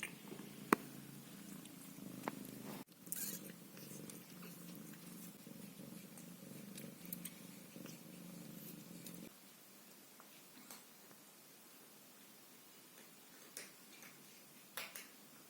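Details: Ginger Scottish Fold kitten named Caramel, a few weeks old with eyes just opening, purring indoors: a steady low rumbling purr for about nine seconds, then fading to quiet with only faint scattered clicks and rustles.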